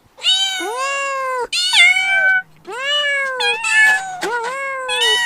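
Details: Playful kittens meowing: a run of loud, drawn-out meows, several bending downward at the end, following one another with brief gaps and no other sound intruding.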